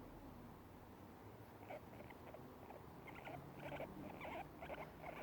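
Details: Pet guinea pigs munching grass give their happy sound, which starts after a quiet stretch of rustling: bursts of short squeaky pulses repeated about two or three times per second, growing louder toward the end.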